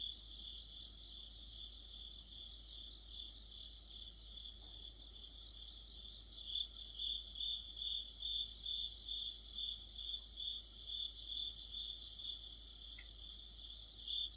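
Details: Crickets and other insects in an autumn chorus: a steady high ringing trill under layered pulsed chirps, with several callers overlapping and shifting in rhythm, roughly two pulses a second.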